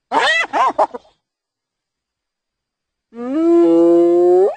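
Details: Hyena giggling in three quick, choppy bursts with arching pitch, then silence, followed by a long, steady, slowly rising whoop-like tone rich in overtones.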